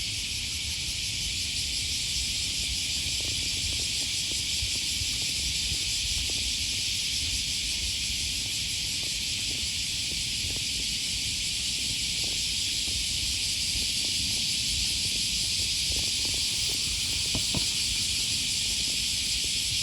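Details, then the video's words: On an August 2020 morning in Osaka, Japan, cicadas buzz continuously near Sakuranomiya Park by the Okawa River. The shrill, even chorus barely wavers for twenty seconds, with muffled footsteps and distant urban rumble underneath. "Walking along the river, with the voice of a cicada"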